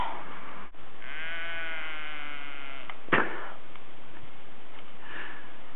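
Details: An evening call from a long-tailed Norwegian sheep at Bø, Norway, an odd non-bleat from a flock that usually calls over one another: a drawn-out, wavering, nasal call of about two seconds, then a sharp knock and faint room noise.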